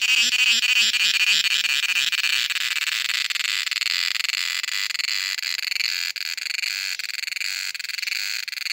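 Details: Cicada singing in summer in Kerala: a loud, dense buzzing drone held high and steady throughout, pulsing rapidly in the first two seconds before settling into a continuous ringing whine.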